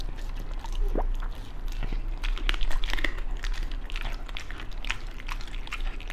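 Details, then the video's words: Beagle eating a raw food meal of chicken drumstick, duck gizzard, pork liver, chicken breast, rabbit kidney, bell pepper and pumpkin jelly; soft wet chewing with scattered crisp clicks and small bites, fairly quiet and close. "ASMR Beagle eat raw foods."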